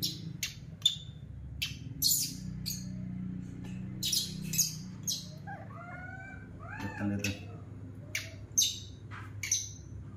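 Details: Rescued baby monkey, adopted from an animal market, throwing a tantrum on seeing milk being made in the kitchen; short arched squealing cries midway, sharp clicks and clatter throughout, a man speaking softly underneath.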